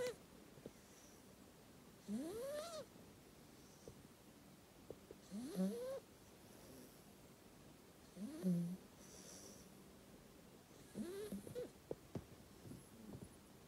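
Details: Eight-week-old black Labrador retriever puppy asleep, snoring loudly: four drawn-out nasal snores spaced about three seconds apart, each rising into a short whistly squeak, with soft breathy rasps between them in a quiet room.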